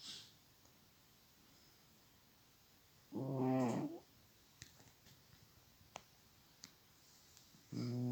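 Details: A pet cat snoring loudly, with two strong, throaty rasping breaths about five seconds apart, separated by quiet stretches holding faint soft clicks.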